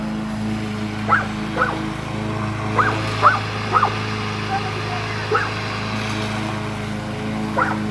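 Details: Cane Corso in a stare-down with a new lawn mower, giving short, sharp barks at irregular intervals, about eight in total, over a steady low engine hum.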